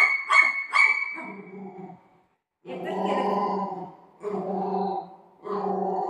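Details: Golden retriever playing with its owner at home: a few sharp, high yips in the first second, then bursts of lower, rough, harmonic growl-like sounds separated by short pauses.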